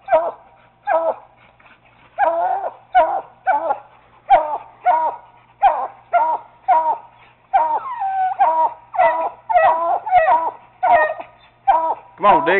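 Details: Treeing Walker Coonhound pup baying at a raccoon held in a cage, alongside a Bluetick named Bobbi: rapid, insistent chopped barks, roughly every half second to a second, after a brief quiet start, with a quick double bark at the end.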